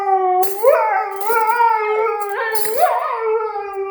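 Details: A Siberian Husky howls in response to the sound of cutlery, its voice swooping up and falling back between brief metallic clinks.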